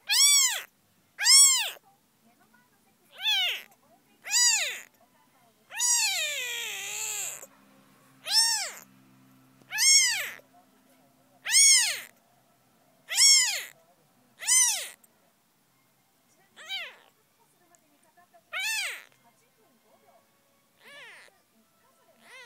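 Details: Tsubomi, a small kitten with newly opening eyes in late May, calls in a series of high arched mews, one longer wavering cry in the middle, then softer, sparser mews trailing off toward the end.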